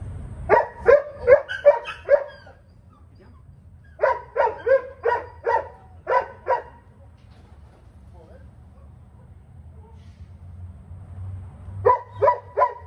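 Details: German Shepherd in training barks in rapid bursts of four to seven sharp barks, with pauses between bursts, over a steady low hum.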